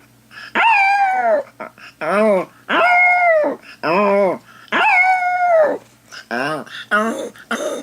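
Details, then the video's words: Pet dog left indoors howling while its owner's sister is out; loud mournful howls, some long and level, others arching up and down, separated by brief pauses, with a faint constant hum in the room. "the howling dog"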